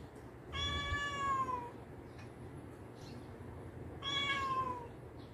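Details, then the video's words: Domestic cat during play fighting with a companion cat indoors: two drawn-out, clear harmonic meows, each about a second long and gently falling in pitch, spaced about three seconds apart, with low room rumble beneath. "My cats fighting after 4 years being together"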